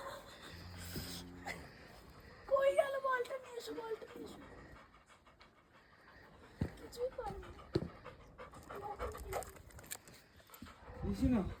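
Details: Labrador Retriever playing with a ball in Jagatsukh on a Himalayan road trip. Quick, breathy panting runs at about four breaths a second, with people calling and chatting in Bengali close by.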